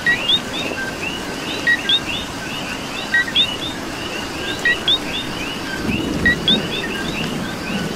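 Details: Coqui frogs in rain in Puerto Rico, the nearest repeating a two-note co-qui, a short low note then a rising whistle, about every one and a half seconds, amid a chorus of others and rain noise.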